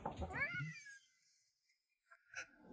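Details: Angry domestic cat indoors, blocking a cabinet where a new kitten was isolated and scolding it, letting out a single rising then falling meow over low rumbling background noise, followed by near silence and a faint knock.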